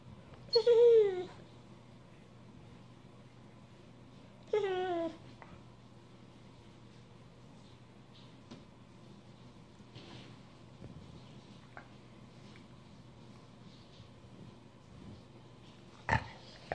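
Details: An Australian Shepherd asks to be petted with two short, high whines about four seconds apart, each sliding downward in pitch, then a long quiet stretch of room hum ending in a brief sharp knock.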